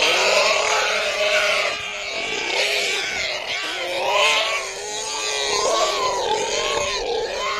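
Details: Pigs giving loud continuous squealing and grunting, many overlapping voices with wavering tones throughout, a dense chorus of several animals.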